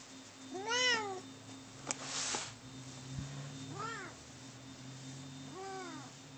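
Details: Domestic cats fighting indoors: three drawn-out, arched, harmonic meows that rise then fall, spaced about three seconds apart, with a sharp knock and a brief rustle between the first two.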